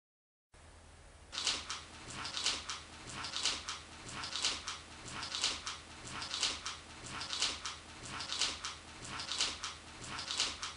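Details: Enraged cat producing breathy, harsh hissing bursts in a steady rhythm of roughly two per second, each puff rising and fading, in a quiet indoor room.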